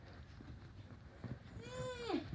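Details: Saint Bernard puppy giving one drawn-out whine that rises, holds and then swoops down into a rough, grating end, after a few soft knocks and thumps in a quiet background.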